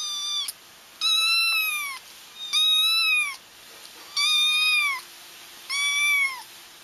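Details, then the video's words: Crying kittens used to lure a feral mother into a trap: five evenly spaced, drawn-out high meows, each arching then dropping, roughly every one and a half seconds over a faint hiss. "30 minutes of Kittens Crying"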